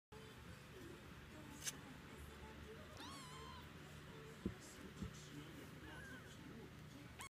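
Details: A three-week-old Munchkin kitten, at the start of its socialisation period, gives a thin, high, wavering mew over soft background music and voices.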